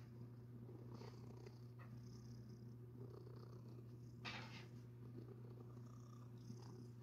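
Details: Domestic cat having its soft, fluffy belly rubbed, giving a continuous low rumbling purr without pause. Fur-rubbing swishes come and go, with one louder rustle midway.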